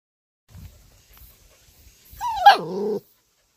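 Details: Purebred Jindo pet dog, one of a playful troublemaking bunch, gives a single harmonic whine lasting under a second that starts high, wavers, then slides steeply down to a lower pitch, preceded by a few faint soft thumps.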